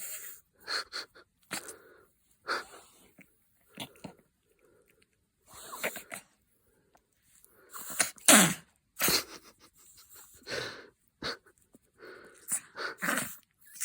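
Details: A happy dog making odd wheezy snorts and sneezy huffs in short broadband bursts, a few per second with brief pauses between, the loudest rough burst past the midpoint, then more irregular snuffles.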